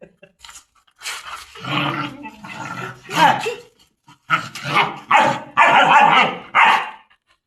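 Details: German Shepherds on chains for the first time bark in quick, gruff bursts, roughly two per second at times, mixed with people talking in a small space.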